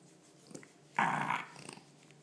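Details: French Bulldog making odd pig-like noises while being stroked indoors; one short harsh snorting growl lasting about half a second amid quiet room sound.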